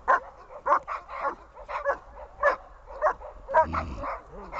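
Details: Dog named Chibo during a training session dated 1.02.18, barking in a rapid series of short, sharp yelping barks roughly every half second, with a few whining, whimper-like notes near the end and low background rumble.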